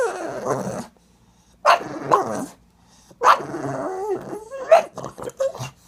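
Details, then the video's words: Pug dog fussing noisily to get its butt scratched again, indoors; long throaty growling whines rising and falling, several bursts with short silent gaps, ending in quick choppy grunts. "PUG DOG LIKES BUTT SCRATCH,MAKES WEIRD SOUNDS"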